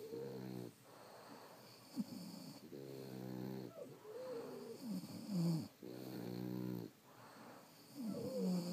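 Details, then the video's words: Quieter, more distant snoring of sleeping French Bulldogs, wheezy rhythmic breaths about every three seconds with faint whistling tones and low rattling exhales. "Snoring French Bulldogs"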